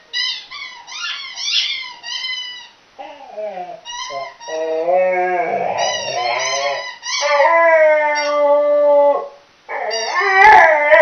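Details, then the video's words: Millie, a chocolate Labrador, howls while playing with her squeaky toy: wavering, harmonic-rich howls and whines rising and falling, with short high yips at the start and some sliding longer notes in the middle. "Millie howling like mad!"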